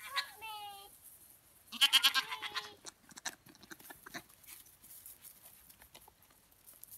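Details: Pet goats with a girl playing beside them: a brief wavering bleat, then a louder, strongly pulsing bleat, followed by clattering, shuffling noises and soft voices.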